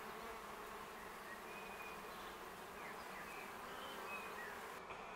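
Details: Wild honey bee colony living in a tree in the Augsburg city forest, Germany, in May, after surviving the winter and growing strong, with busy flight traffic at a shady spot near the ground; dense continuous buzzing of many bees, with faint bird chirps above.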